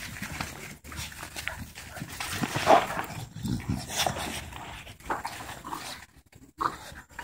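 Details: Three dogs of different sizes playing together in a park, giving rough, breathy panting and snuffling in short irregular bursts, with scuffling movement noise between them.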